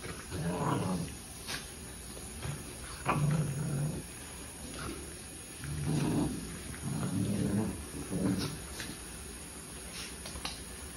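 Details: Sibling puppies playing together indoors, giving low rumbling growls in short bursts of about a second, recurring every two to three seconds, with quiet pauses and a steady faint hiss between them.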